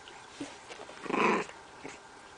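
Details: Bulldog, a small dog, gives one short rough growling vocalisation lasting about half a second, with faint soft noises before and after in a quiet indoor setting.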